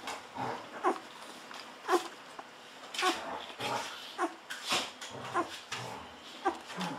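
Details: Golden Retriever puppies aged 14 days whimpering and squeaking as they drink milk eagerly from a bottle; brief high squeals about once a second, separated by quieter snuffling and sucking sounds.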